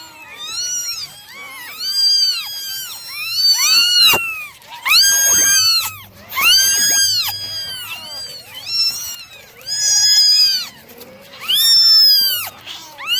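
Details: Domestic kittens, nine in the litter, being dried in the morning: bursts of shrill, arching meows from several kittens overlap, with quieter gaps and softer mews between the loudest calls.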